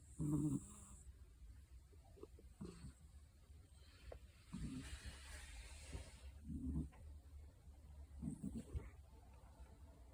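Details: Snoring British Shorthair cat, a black-and-white hachiware, asleep. Fainter, irregular low rasping snores come about every two seconds amid soft breathy hiss and quiet room noise.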